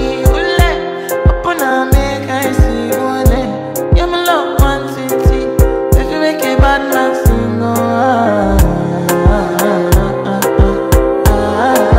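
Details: Rhythm-and-blues music with singing and a steady beat plays loudly from start to finish.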